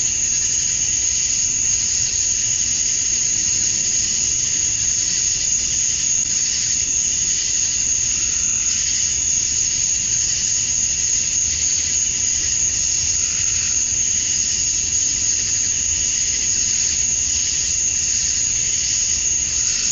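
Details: Male cicadas on a summer evening at dusk in Georgia, USA, calling to attract females: an even, shrill droning chorus, a bright sustained whine over hissy buzzing, level and unbroken.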